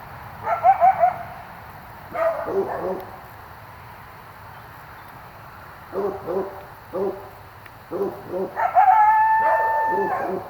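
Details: Night yowling from an animal taken for a coyote near a driveway: clusters of short yelping barks, then a rising, sustained high howl with harmonics lasting about a second and a half, over a faint background hum.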